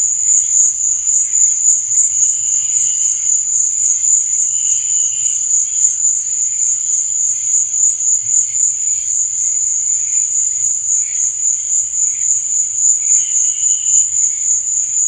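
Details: Crickets at night: a dense, unbroken high-pitched trill runs throughout, with fainter, lower chirping bursts rising and fading every couple of seconds beneath it.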